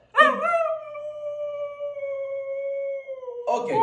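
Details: Meeka, a female pet Siberian Husky, indoors in a small room while being taught to dance: one long, steady, even-pitched howl held for about three seconds, ending with a brief rough sound.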